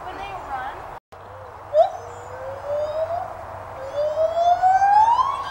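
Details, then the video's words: Captive white-handed gibbons at the Santa Fe College teaching zoo, Gainesville, Florida, giving a brief sharp note then a long slow rising whoop that climbs and swells toward the end, over a low steady hum. "white handed gibbons vocalizing"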